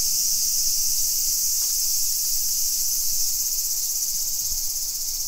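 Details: At 2 PM on 28 July 2021 in a Nisshin neighbourhood about 20 km from downtown Nagoya, Japan, summer cicadas keep up a continuous shrill buzzing wall of sound, with soft low-pitched background hum.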